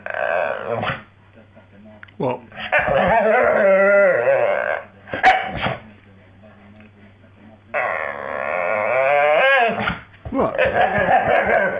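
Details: Female Staffordshire Bull Terrier lying on the floor and 'singing': drawn-out, wavering, harmonic howls that rise and fall in bursts of one to three seconds, separated by short quiet gaps, with some human voice mixed in.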